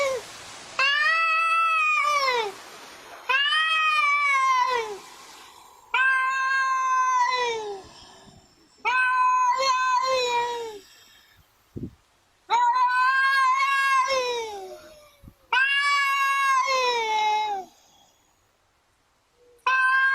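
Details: Domestic cat meowing in a compilation of talking cats: about seven loud, drawn-out, harmonic meows, each rising then sliding down, spaced by short silences, with one sharp click midway.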